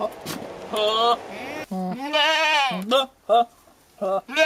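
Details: Billy goat yelling odd sounds at a nanny goat while courting her: harmonic bleats bending up and down, one long strained wavering cry in the middle, followed by short choppy bleats in quick succession.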